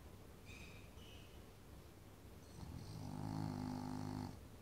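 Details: Sleeping French Bulldog snoring: faint nasal sounds early, then one long, low, rumbling snore swelling in the final two seconds.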